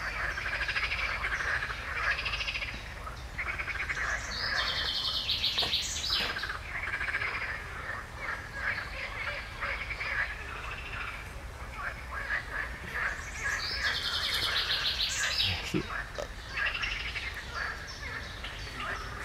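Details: Frogs croak in a dense, steady chorus while a common chaffinch sings a bright, tumbling phrase twice; recorded 15 June 2020.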